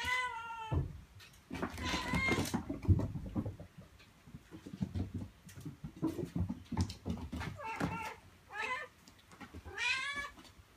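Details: Mii-chan, a mother cat, meows to her kittens to come to her and stay close while she moves between the room and outside. Repeated harmonic meows, some falling and some sliding upward, over low rustling and bumping sounds.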